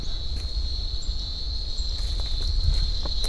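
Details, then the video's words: Crickets in a remote canyon in Colombia, heard loudly while hiking down toward the river: a steady, unbroken high-pitched trilling drone, with footsteps crunching underneath. "You can hear the crickets, I'm sure, in the background."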